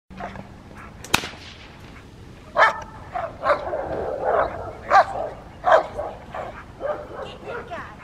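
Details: Rottweiler Fire v LordsNLadies during schutzhund (IGP) protection training, giving scattered loud barks after a sharp impact noise, with a human voice and background noise in between.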